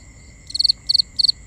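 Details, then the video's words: At night a cricket gives three crisp, high-pitched chirps, each a rapid trill of four pulses, evenly spaced with brief silent gaps; binaural recording with a soft low background. "Cricket Conversations"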